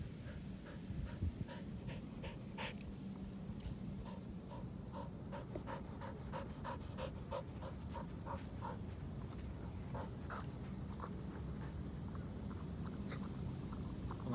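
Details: Pasepon, an elderly white Samoyed, on a lawn, panting in quick, soft, regular breaths through most of the stretch, steady low rumble of outdoor background throughout.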